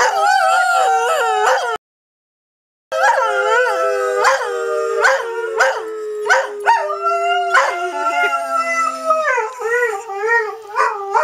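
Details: Greyhound howls: quavering, wavering cries rising and falling in pitch, a one-second silence near the start, then repeated yodelling howls with a lower held note in the middle.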